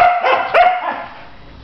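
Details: Female husky Malibu refusing to get out of bed in a tantrum; a couple of wavering, talkative yowls early on, then quiet, ending with a short sharp vocal burst.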